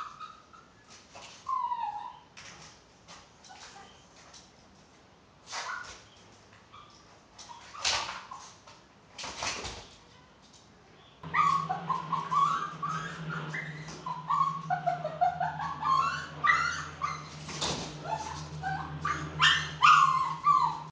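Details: Chihuahua, a small dog shown getting out through a window, giving high, wavering whimpers and whines that rise and fall, coming in irregular bursts. Sharp knocks and clatters break in, and a steady low hum starts partway through.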